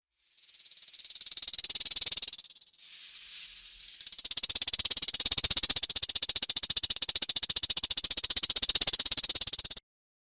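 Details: Rattlesnake, a venomous reptile of arid regions, sounding its tail rattle as a warning to intruders: a dry buzzing burst, a pause with faint hissing, then a steady, rapid, continuous rattle lasting several seconds.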